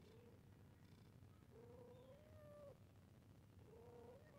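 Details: Cat meowing while playing: a few drawn-out, slightly rising meows around mid pitch, one long, over steady low background rumble.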